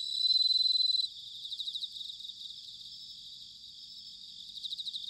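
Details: Autumn bell crickets from Sanuki, Chiba, Japan. One close, clear ringing trill for about a second, then softer rhythmic pulsed chirping from a chorus of other crickets.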